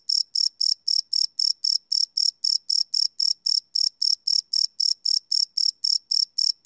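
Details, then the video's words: Crickets at night, field-recorded live with a Sony PCM D100 and no loops; shrill pulsed chirps follow one another at a steady pace of roughly four each second, nothing else audible. "Cricket Chirp Sound - Cricket Sounds at Night"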